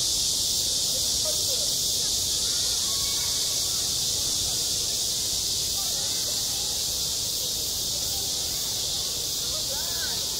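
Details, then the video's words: Cicadas singing in midsummer at a school playground: a dense, unbroken high-pitched hiss holding steady for the whole stretch, with faint low murmurs and small tonal traces beneath it. "한 여름 운동장에서 매미가 울고 있다 - 여름의 소리, 학교 종소리, 매미 울음소리"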